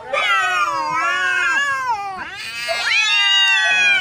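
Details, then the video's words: Neighbour cats locked in a hard fight, one sustained warbling howl sliding downward, then a second rising yowl that holds high and strained. "Cats fighting hard | Fight between two neighbor cats"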